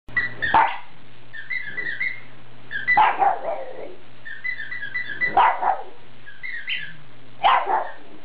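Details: Foxy Brown, a female pet pug, worked up while squeaking her toy by herself, gives a half growl, half howl: four rough, harsh bursts about every two seconds, with toy squeaks chirping between them and a steady low hum.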